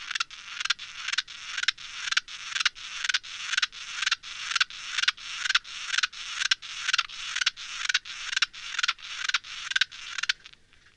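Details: Naki-inago grasshopper (Mongolotettix japonicus) song, slowed down four times from a separate recording made the same day; a steady train of about twenty-three broad scratchy pulses, roughly two per second, ending abruptly.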